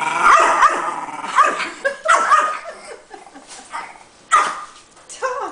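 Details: Dogs in a standoff where a tiny shih tzu intimidates two pit bulls. Sharp, high barks come in quick bursts, about six or seven over five seconds, some in close pairs, with brief gaps between.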